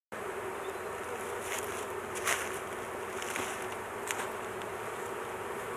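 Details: Honey bees at a large hive during a beekeeping intervention, the queen caged to keep her from being crushed; a steady low droning hum of many bees, with a few brief sharp clicks and taps over it.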